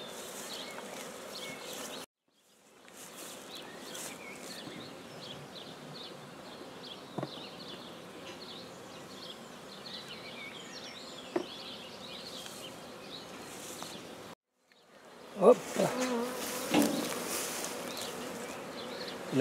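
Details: Newly started black bee hive in Guernay, Côtes-du-Nord: a soft even buzz broken by two short silent cuts, a few clicks, bird twitters, then loud handling clatter at the end.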